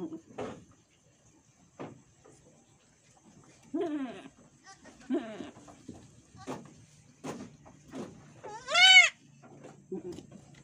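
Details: Etawah goat birth being tended at a farm in Bukittinggi, West Sumatra: scattered soft voices and small sounds, then one loud, high, trembling bleat near the end and a low hum.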